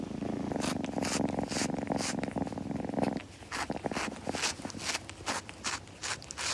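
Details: A kitten purring indoors for about three seconds, the low pulsing rumble then stopping as quick, repeated wet licking sounds of self-grooming take over, roughly two licks per second.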